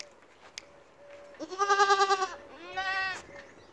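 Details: Domestic goat giving two wavering, harmonic-rich bleats, a longer loud one with pulsing tremolo followed by a softer, shorter one, with faint clicks and a steady thin tone in the background.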